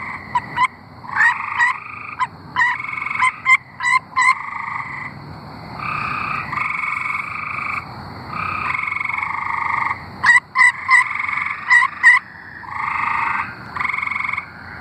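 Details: Arkansas tree frogs calling together, long droning pulsed trills overlapping, interrupted by clusters of sharp clicking notes, a fairly dense multi-frog chorus throughout.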